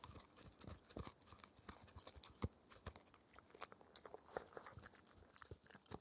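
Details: Indoor close-up of a 4-month-old Shetland Sheepdog puppy eating an air-dried raw ear treat for dental care: steady crunching bites roughly once a second mixed with smaller crackles and wet tearing clicks, no talking.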